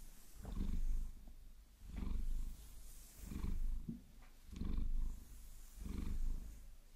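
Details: Pet Maine Coon named Vasilisa purrs while her fur is massaged with long nails: five loud, low rumbling swells, each lasting under a second, with quiet breaths between them. Faint scratching sounds underneath.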